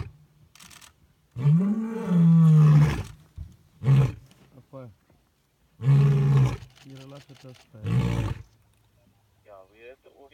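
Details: A male lion at Djuma Private Game Reserve in August 2017 gives deep, rumbling roars, one long moaning call followed by shorter, breathy grunts.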